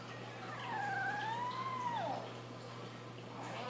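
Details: Boston Terrier puppy, a young female finding her voice, gives a single drawn-out howl that rises then dips and falls over about a second and a half, over steady background hum.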